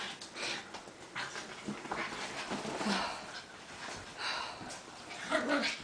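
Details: Two small dogs at home, Cosby a little gray Maltichi and Minuet a white Maltipoo, play fighting nonstop during a visit of a few weeks: rough breathy panting and snuffling bursts, scuffling noises, with a brief higher whine near the end.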